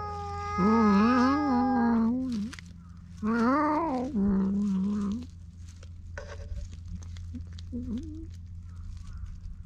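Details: Stray cats on Cat Island fighting over a single fish, filmed with a GoPro HERO8: two drawn-out wavering yowls, each about two seconds long, rising and falling in pitch, then fainter short sounds over a steady low hum.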